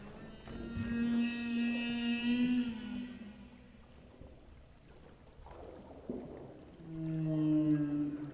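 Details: Humpback whale singing underwater at night, recorded by hydrophone; long tonal moans with harmonic stacks, a sustained mid-pitched note for about two seconds, a sliding downward sweep near six seconds, then a rising wavering tone with low pulsing underneath.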